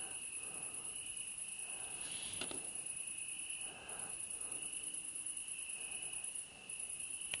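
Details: Crickets chirp steadily at Curmătură, Buzău, Romania, on 4 September 2018, in a high, continuous trill with a fainter shimmering band above it.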